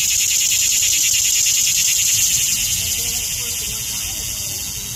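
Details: Loud summer cicada mating call: a continuous high, hissing buzz with fast regular pulsing, about three pulses a second, fading slightly toward the end; faint low rumble beneath.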